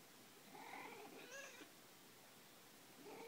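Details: Domestic cat making funny noises, recorded 02 06 2014: one quiet, drawn-out, wavering meow-like call with a strained, nasal quality, followed near the end by the start of a second short call over a faint room hiss.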